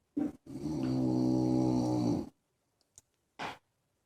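A French Bulldog snores with a long, rattling, low-pitched rasp, then short snuffling breaths.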